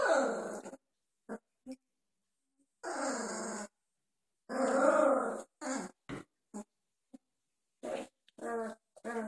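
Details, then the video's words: Young Doberman puppies at two and a half weeks, wobbly and uncoordinated, wrestling in play; drawn-out throaty growls alternate with brief grunts and little squeaky bursts, some gaps of silence between. "Doberman puppies playing, 2.5 weeks old"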